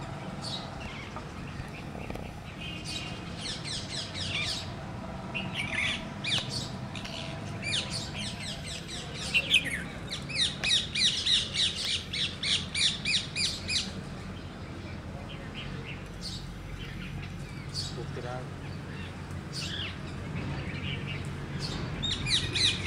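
A squirrel gives rapid, high, bird-like chirps in quick repeated bursts.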